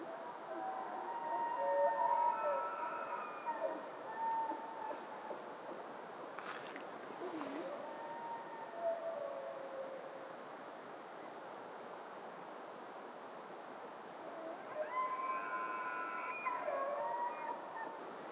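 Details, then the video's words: Red deer giving high, whistled, wavering bugling tones that rise and fall, with a pause mid-clip and another call near the end. Background noise is steady and soft. "Рёв европейского оленя и марала"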